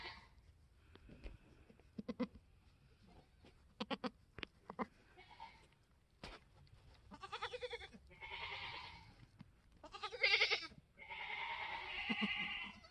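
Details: Newborn F4 mini Alpine buckling, black with white frosted ears and nose, born March 13, 2021 on a homestead, the third kid of the day. Clicks and short pulses early, then several strong harmonic bleats building toward the end.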